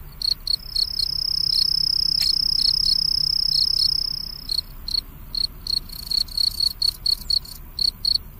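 A cricket sings a high, ringing trill that runs steadily for a few seconds. It then breaks into short, rapid chirps repeated about four times a second, with faint hiss beneath.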